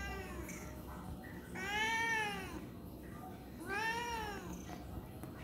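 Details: Tabby cat complaining about something indoors: two drawn-out, rich meows that rise and then fall, each lasting about a second and spaced roughly two seconds apart, with a low steady hum underneath.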